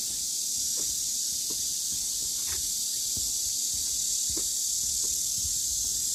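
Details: On the Deogeumsan Solbaram-gil trail in Namwon, Korea, 16 August 2019, cicadas keep up a loud, steady shrill hiss while irregular footsteps tap beneath it.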